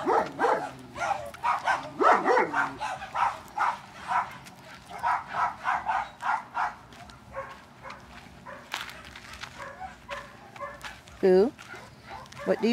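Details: Four puppies, three females named Bernie, Kate and MaryLou and a male named Boo, playing outside in the afternoon; rapid high yips and barks in quick bursts, with a person talking nearby.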